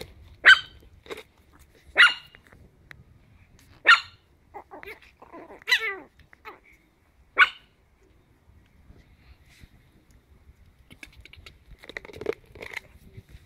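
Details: High yapping barks from 10-week-old Chihuahua puppies at play, spaced about every one to two seconds with small whines between, then a quieter stretch of soft scuffling and faint squeaks.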